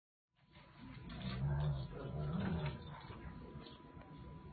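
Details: Doberman Pinscher and Boxer play fighting: deep, rumbling growls that rise and fall over about three seconds, sustained and throaty, over a steady background hiss.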